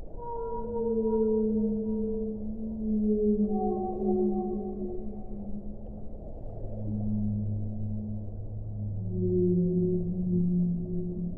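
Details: Whale song: long, smooth, low moaning tones with stacked harmonics, overlapping phrases that hold steady, then slide and shift in pitch over about eleven seconds, above a constant low rushing wash of water-like noise.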